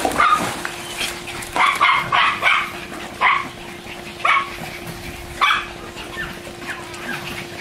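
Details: Pair of German Shorthaired Pointers wrestling and playing by a pool: scattered sharp barks, a quick cluster near the start followed by single spaced barks, over a faint steady hum.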